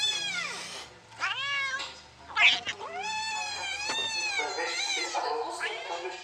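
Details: Recorded kitten meows played to a mother cat in a van, who hunts for the kitten under the bed; long, loud, drawn-out meows overlap one another almost without pause, strained and wailing.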